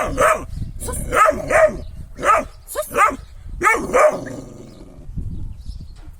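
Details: Kangal dog barking in loud, deep bursts, roughly eight barks over six seconds, some coming in quick pairs, fading at the end with faint background rumble.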